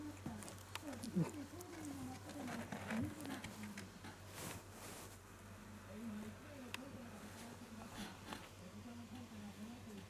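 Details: Young Shiba Inu Kutsu, newly able to stand, walk, see and hear, whines in long undulating cries that rise and fall continuously for about ten seconds, with soft clicks and a constant low hum behind.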